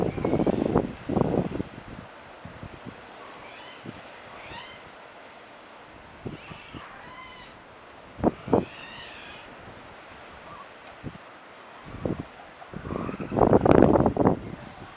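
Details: Seal pups playing and chasing each other in a sheltered rock pool at a seal colony at Cape Palliser; wavering, mewing cries rise and fall several times, with bursts of splashing at the start and near the end over low wind.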